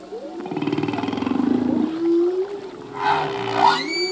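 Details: Singing male humpback whale in the ocean: a long low drawn-out moan with a rapid pulsed rasp over it, easing into a steady hum, then two higher bright, whining cries near the end.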